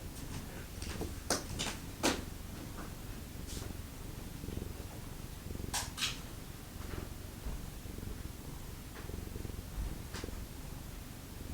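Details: Domestic cat from a feral cat family kept at home, purring steadily in a low rumble, mixed with sharp clicks and knocks from household handling or movement.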